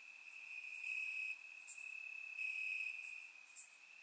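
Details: Crickets chirping in grass on a warm summer night in Bulgaria, captured with a surround microphone: a steady high trill runs throughout, broken by brighter, higher chirp bursts recurring about every second.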